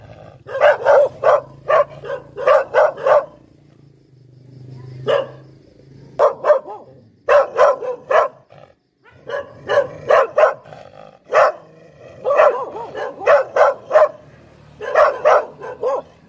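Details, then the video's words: Bursts of shrill, staccato barks from a Poodle come in irregular volleys, with quieter stretches and a low hum between them. "เสียงหมาเห่า หมาพุดเดิ้ลแท้1000%"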